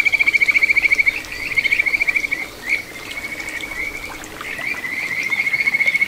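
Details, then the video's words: Kajika frog calling beside a small rural stream in Ichihara, Chiba, Japan, 9 June 2022: a fast, pulsed, bell-like trill, a brief pause with a single swelling note, then a long even ringing trill; running water faintly audible. "カジカガエルの鳴き声 里山を流れる小川に響くかはづの美声"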